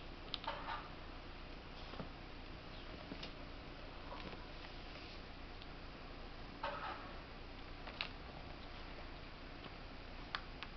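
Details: Smrda (Stinky), a squirrel, eating corn: soft, irregular crunching clicks arrive every one to two seconds over a steady low indoor hum.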